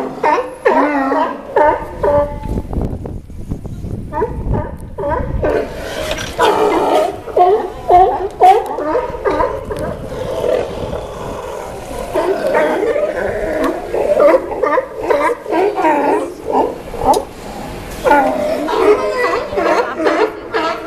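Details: A dense chorus of sea lions hauled out dockside in Newport, Oregon: many overlapping hoarse barks and roaring calls, rapid and irregular, about two per second, layered into a continuous noisy din with no quiet gaps.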